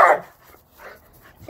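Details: Rhodesian Ridgeback, one of a pair of buddies playing hard and loud: a single short loud bark at the start, followed by quieter huffs and soft grunting sounds.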